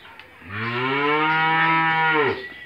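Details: Australian-breed dairy cow on a farm in Bangladesh, six teeth in age and in her second calving, kept with her one-day-old bull calf, giving one long, steady, deep moo lasting nearly two seconds before tailing off.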